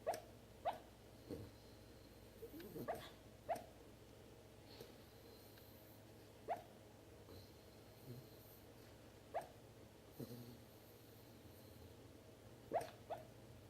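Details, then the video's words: Pet dog hiccuping indoors, a run of brief, clipped hiccup jolts repeating every one to two seconds. The level varies a little, with a few soft lower thumps between them and low room hum underneath. "Dog with hiccups"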